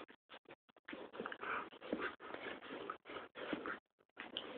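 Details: An Alaskan malamute and a tiny Pomchi, best friends, wrestle in play; near-continuous rough, throaty growling and grumbling in long bursts broken by brief gaps, with a few short huffs.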